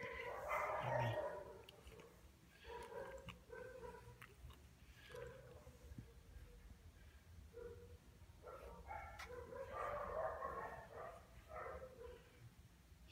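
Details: A Lhasa Apso, seemingly very lazy, gives drawn-out, wavering whines and grumbling moans in a series of short bursts.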